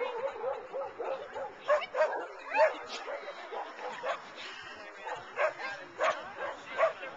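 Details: At the CarDunAl agility trial, Oct 18, 2009, Rain the dog barks at her handler as if urging her to run. A run of short, punchy barks, roughly one every half second to second, mixes with voices and background noise.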